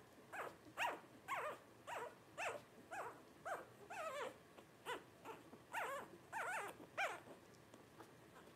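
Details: Litter of five Blenheim Cavalier King Charles Spaniel puppies, 12 days old, born New Year 2023: rapid repeated short, sharp squealing cries, roughly two per second, with occasional longer arched whines between.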